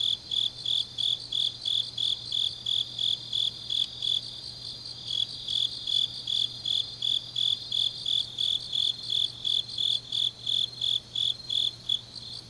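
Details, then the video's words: Autumn night chorus of grass insects in Changnyeong, South Gyeongsang, South Korea: a high, steady pulse of chirps roughly three per second, with a softer overlapping trill from other insects and a constant low hum beneath. "깊은밤 가을 풀벌레 소리"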